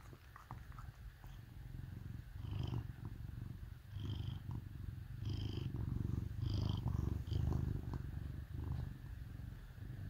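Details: Deep, rhythmic purr from a cat snuggling with dogs on a cold winter day, swelling and easing in waves every couple of seconds, with light squeaky sounds above.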